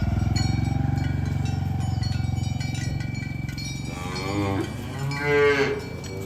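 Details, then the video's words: Tame village cows herded toward their pen in the morning: a deep, drawn-out rumbling low moo fills the first seconds, followed by a shorter, higher harmonic lowing near the end. "Suara Sapi Moo"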